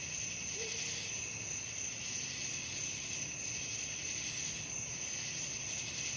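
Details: Crickets at night produce a continuous shrill trilling chorus, pulsing roughly three times per second, with one brief faint low tone early on.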